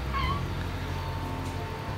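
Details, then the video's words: Cat on a cold morning giving one short, rising-then-falling meow near the start, followed by steady low humming background and quiet room noise. "ДОБРОЕ, ХОЛОДНОЕ УТРО С КОТИКАМИ"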